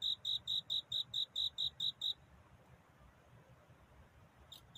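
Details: Cricket singing to find a mate at night: about ten bright, high chirps repeated quickly and evenly over two seconds, then near quiet with only a faint low hum and a last chirp at the end.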